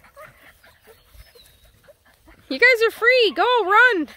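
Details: Nine Black and Tan Coonhound puppies let loose to run on a hike around a pond; after soft rustling and quiet, a burst of loud, arching, harmonic-rich puppy howls and yelps, four or five in quick succession.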